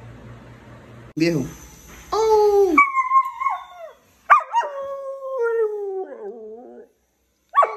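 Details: Berlín, a Siberian husky in its first year, gives drawn-out, wavering howls with falling and rising pitch, broken by short gaps, plus a brief yip at the start and one at the end.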